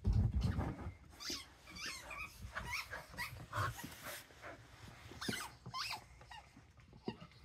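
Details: Dosa, a pet dog, gives a run of short, high, wavering yelps and whimpers with a growly edge. They come irregularly, about three a second, over low rumbling handling noise indoors.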